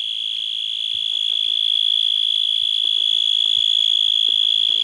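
A night insect gives an unbroken, high, shrill trill that holds one steady pitch throughout.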